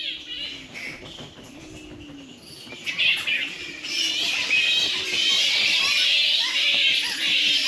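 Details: Daytime roost of a protected fruit bat colony in Australian mangroves, the animals feeding on fruit and flowers at night: quieter chatter at first, then a loud rush of shrill squawking and screeching squabbles, with a man's voice underneath.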